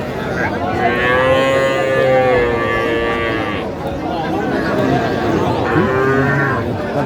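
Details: Young Sahiwal cattle, small bulls and heifer calves, at a sale where a Noakhali farmer buys on 30 March 2025: a long, steady moo lasting about three seconds, then a shorter second moo, over a murmur of voices.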